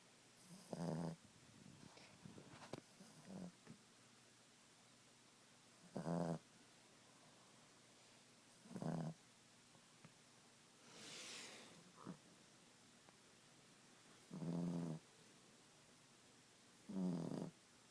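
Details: Ziggie the Boston Terrier asleep at nap time, snoring steadily: short rattling, buzzy inhalations roughly every three seconds, six in all, with soft breaths and a brief hissy exhale between them.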